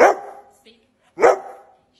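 Two heavy, gruff barks come from a Rottweiler, spaced roughly a second apart. Each opens with a sharp, forceful burst and tails off into a short rough decay, with quiet between them.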